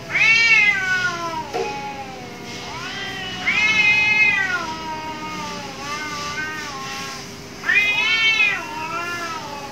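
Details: Cats fighting behind a house: loud harmonic-rich yowls in three strong bursts, each rising then sagging into a lower drawn-out moan, voices overlapping between bursts, with a steady low hum underneath.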